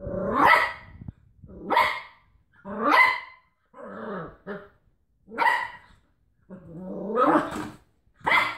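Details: Cocker Spaniel tussling with a washing tablet box, giving about seven gruff barks in under nine seconds with irregular gaps. Some are drawn out into lower, rasping growls before rising again. Nothing else is clearly heard.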